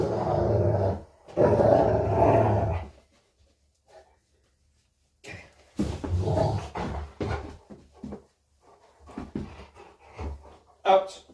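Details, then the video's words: Rottweiler growling during play in a small room; a loud low growl for the first three seconds, then scattered shorter grunts and growls, with a person talking. "Rottweiler growling and playing"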